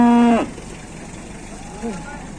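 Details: Cattle in Indonesia: a short, loud, strongly harmonic moo that breaks off within half a second, followed by a faint, lower second call near the end, over a steady background hum with distant voices.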